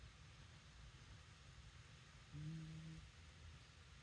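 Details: Shiba Inu snoring: a single low, droning snore lasting under a second midway through, with a faint harmonic overtone, set against a steady low background hum.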